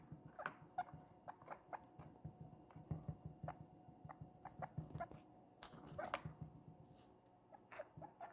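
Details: Pet guinea pig named Princess, a little baby newly brought home, munching cucumber indoors: quick wet crunches and clicks in uneven bursts, a few louder bites near the end, over a soft low room rumble.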